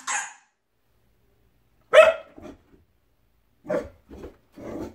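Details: Dog reacting to its own reflection in a mirror, giving short sharp barks at about zero, two and under four seconds, each followed by softer low grumbling notes, with silence between the outbursts.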